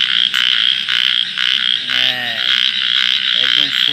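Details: A frog calling at night with its cheeks puffed out, giving drawn-out, pulsed, nasal croaks over a pulsing high-pitched chorus of other frogs, followed by a shorter croak near the end.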